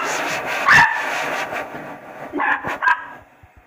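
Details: A 4-month-old male Pembroke Welsh Corgi puppy gives a few sharp, high barks at a blow dryer, whose steady whooshing hum sounds behind.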